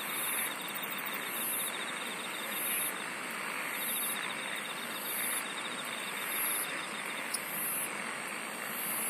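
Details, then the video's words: Singing insects: piercing, high, buzzy pulses about once a second, a quieter rhythmic trill under them, and a thick, even wash of hiss with one brief click. "SINGING OF INSECTS"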